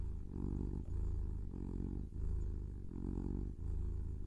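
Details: Pet kitten purring continuously, a low buzzing rumble pulsing with each breath in and out, roughly one cycle per second, quiet surroundings.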